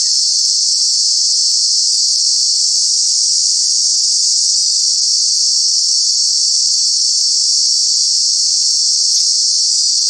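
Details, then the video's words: Loud cicada chorus from Kanha National Park in summer, one steady intense high-pitched whine sustained without pause, with a faint low rumble beneath. "Cicada, Cicadas are true bug with very loud sounds"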